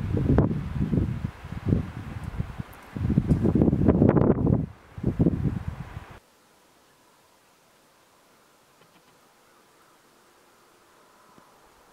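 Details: Heavy rustling and wind buffeting for about six seconds, then near silence with faint background hiss; no animal calls.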